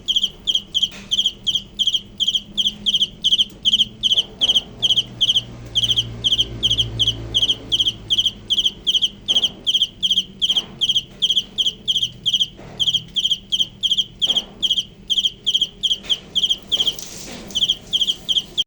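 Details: Close cricket giving loud, high, rhythmic chirps in rapid bursts, roughly two to three per second, sustained throughout, with faint low rumbles and a few brief knocks behind.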